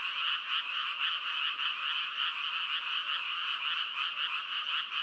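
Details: Frogs croak as a dense, unbroken chorus of mid-to-high pitched trills, the mass of calls pulsing roughly twice a second with no other sounds.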